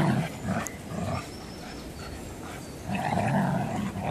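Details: Two Old English Sheepdogs, Lockie and Elvis, 14 months old, playing tug of war with a toy. Low, rough growls come in bursts at the start and end, with a quieter, muffled stretch in between.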